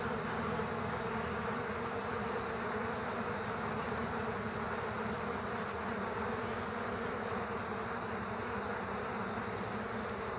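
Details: Killer hornets attacking bees at an underground nest make a constant, layered buzzing hum that never drops, rough and fluttering in the low range, even in volume throughout.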